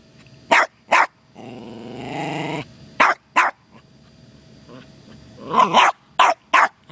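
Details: Costello, a terrier, finds a turtle visiting the yard and reacts with sharp barks, singly and in pairs, plus a sustained rumbling growl of about a second, with a burst of layered barking near the end.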